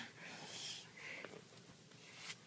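A French Bulldog–Boston Terrier mix puppy lets out raspy, high squealing barks, each a brief hissy burst with a snorting edge. A person's voice is faintly present in a small indoor room.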